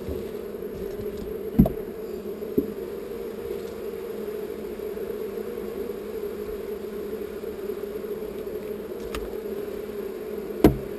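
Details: Relocated honey bee swarm humming in a constant, even low drone, with a few sharp taps and clicks at the start and close.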